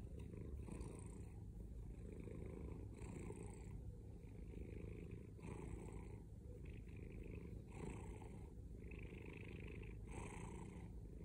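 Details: Loud, continuous purring from a male domestic cat, a dense low rumble with rhythmic breathy pulses roughly every two to three seconds as it alternates inhaling and exhaling.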